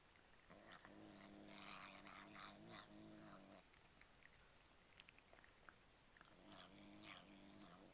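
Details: Domestic cat vocalizing while eating cat treats, making bizarre noises likened to saying "yum yum yum." Low, buzzy, growl-like droning murmur held for about three seconds, then resuming near the end, with crunching and crinkling bits.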